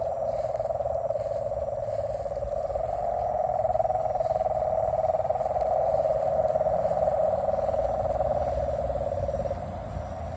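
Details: A frog chorus outdoors, a continuous buzzing wall of fast pulsed calls holding one mid-range pitch, louder through the middle and easing off near the end, over a soft low hum.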